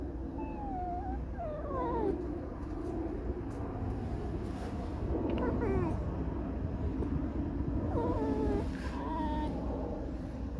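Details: Tame red fox, a pet vixen, squeaking and whining a mournful, discontented song indoors: thin wavering squeals and short rising-falling whines repeated through the recording, with a low hum underneath and faint talk nearby.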